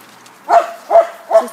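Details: Male bulldog at a dog park, giving three sharp mid-pitched barks spaced about 0.4 seconds apart, each short and punchy with a clear tonal core, over a quiet outdoor background.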